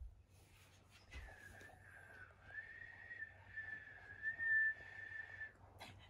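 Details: Akita dog whining indoors in a household with two female Akitas, brindle Patako aged four and red Komugi aged three. Komugi was scolded for getting too excited and comforted with a rabbit toy. A long, steady, high whistled whine with slight wavers, light background rustle.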